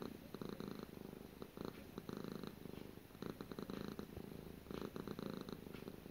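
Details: Short close recording of Gara the cat purring, low buzzy rumble pulsing in breath cycles of about a second, louder on alternate phases.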